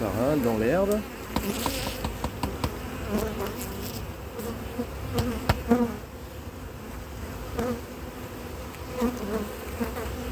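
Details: Honey bee colony that has turned drone-laying, after the first queen matings on splits failed in cold weather in 2024; after a second of speech, a steady low hum with even overtones drones on, with faint voices and soft clicks.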